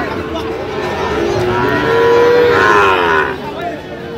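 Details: Sahiwal cattle at a busy market in Kishoreganj, Bangladesh, where Sahiwal bull calves are sold, 10 October 2025: a long, tonal moo that swells and rises in pitch, then fades. Men talk and a crowd murmurs throughout.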